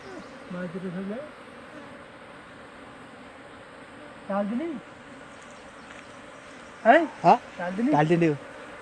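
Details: Single honey bees buzzing close by as a wild swarm is taken by bare hand from a tree hole in Timang jungle, Manang, Nepal; loud droning passes that swoop up and down in pitch, in short bursts over a quiet hum.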